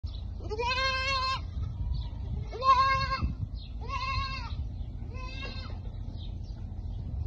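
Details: Goats at feeding time bleating: four nasal, wavering calls, each about a second long and spaced roughly evenly, over a low rumbling background.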